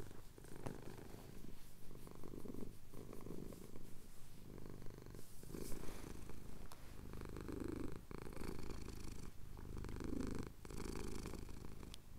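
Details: Steady deep purring from a male cat getting a chin scratch as the sun rises over the Cotswold hills, captured on a Tascam handheld recorder; rhythmic rumble swelling with each breath, a few soft clicks and rustles.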